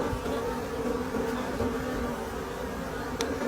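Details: Forest wild bees buzz in a constant, even drone near their nest as stones are removed during a late-season honey harvest. A sharp tap is heard near the end.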